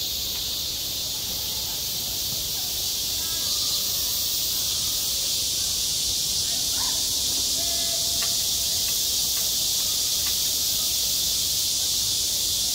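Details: Cicadas calling in midsummer at a school playground, self-recorded: a dense, unbroken high-pitched hissing buzz that holds steady throughout, with faint tonal sounds underneath.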